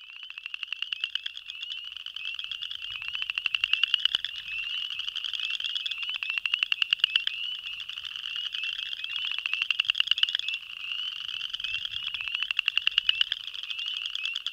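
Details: Male Boreal chorus frogs (Pseudacris maculata) give their mating advertisement call, rapid rising trills like a thumb run along a comb, repeated steadily, with Spring Peepers also heard.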